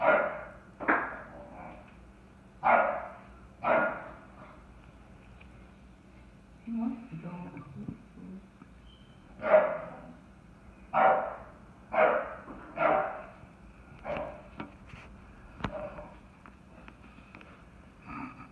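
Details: English Bulldog Merle, a chocolate tri merle, barking wildly indoors at a bucket after he and other dogs knocked it over; sharp, broad barks come in irregular bursts of one to three, with a voice speaking in between.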